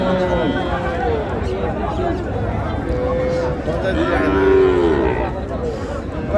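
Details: Cattle at the Raniganj cattle market in Dinajpur, on 26/11/25, where improved-breed dairy cows and calves are sold: a long, low, wavering moo builds in the middle and swells near the end, over steady crowd chatter and talking.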